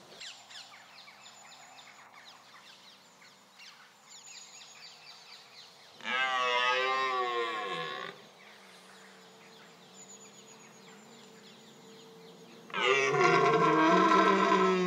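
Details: Red deer stag, Cervus elaphus, roaring during the October rut, highly aggressive and full of testosterone; two loud, harsh, drawn-out roars rich in harmonics, one lasting about two seconds and a later one ending the clip, over faint background music.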